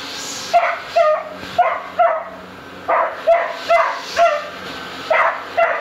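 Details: Puppy Beagle Dino protects his bed and toy from a vacuum with a rapid string of high, sharp barks, roughly two per second, over a low mechanical hum.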